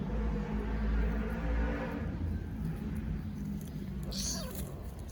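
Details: Kittens fighting in play, giving low rumbling growls through the first two seconds, then a brief higher hissing burst near the end, with steady low background noise.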